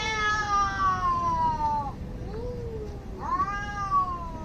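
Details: Cat fight with angry cats, two long falling yowls, rich and harmonic, separated by a brief lower moan.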